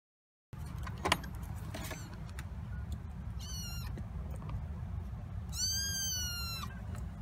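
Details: Kittens 26 days old, litter of black cat Tituba raising seven including an orphan, exploring the kitten coop at Carolina Kitten Ranch, November 2017; two high thin meows, the second long and falling, over a steady low rumble.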